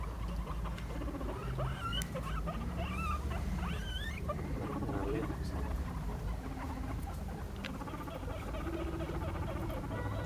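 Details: Five guinea pigs give short rising squeaks over a busy patter of scurrying feet as they chase each other in a follow-the-leader game.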